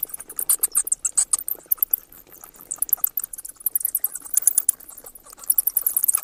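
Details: Shrill, clicking squeaks from a bat, rapid and uneven, loud at the start, thinning in the middle, then rising again into quick high chirps toward the end.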